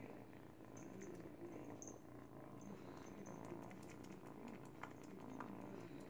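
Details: An 8-week-old kitten purrs steadily while teething on a baby blanket indoors; a continuous low rumbling texture runs throughout with faint rustling and soft clicks.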